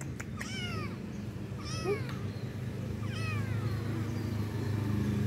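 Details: Stray street cats asking for food as soon as someone comes; three drawn-out, falling, harmonic meows about a second and a half apart over a constant low engine-like hum.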